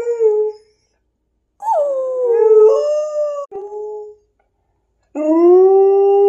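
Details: A female Wolamute (Malamute, Husky, White Swiss Shepherd and wolf mix) howls along while being teased about a hike, giving drawn-out, wavering howls broken by short pauses.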